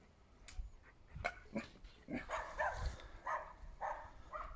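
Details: Šarplaninac named Mali Paša barking in a run of short, rough, irregular barks, about two per second, some deeper and some higher-pitched, at moderate distance.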